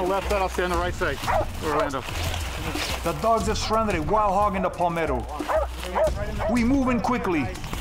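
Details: Hunting bay dogs bark at night at a cornered wild hog. Rapid, repeated yelping barks come in uneven bursts, with men talking and calling to each other over them and low rumbling noise underneath.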